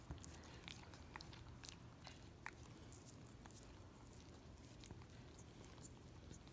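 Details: Miniature Australian Shepherd dog licking peanut butter off a foot, recorded up close indoors for ASMR. Quick moist tongue clicks and smacking bursts are scattered through, with a constant low hum beneath.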